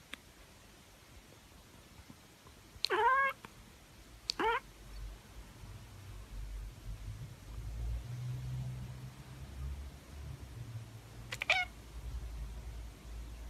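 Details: Tabby cat letting out three short sharp chirps, two close together early and one much later, each a quick trilled burst, with a low rumbling hum in the background between them.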